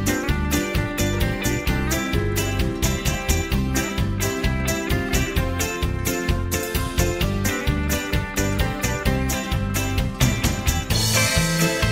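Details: Upbeat guitar-led background music with a steady strummed rhythm and chiming accents plays throughout, with no animal voice.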